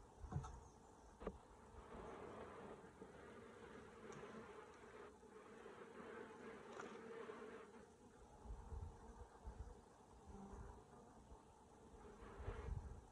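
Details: Honey bees in a hive opened by a beekeeper with a smoker: a steady, low droning hum holds throughout, with a few sharp clicks and knocks from handling the hive.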